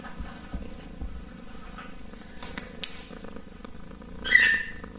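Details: A kitten purring softly, a steady low rumbling pulse rising and falling with each breath, broken near the end by one brief high squeak.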